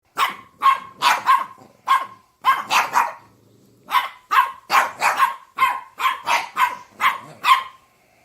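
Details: Dog barking in quick bursts of two to four sharp, bright barks, about sixteen in eight seconds, separated by short pauses, with nothing else audible.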